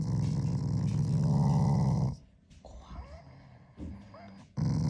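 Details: Shiba Inu growling at its owner as an expression of affection, not anger; a low rumbling growl fills the first two seconds, then quieter sounds, then the growl resumes at the end.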